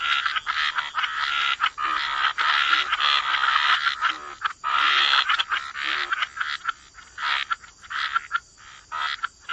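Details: Croaking frogs in a waterside wetland chorus, thick overlapping raspy calls for several seconds, then thinning into distinct short croaks separated by gaps toward the end.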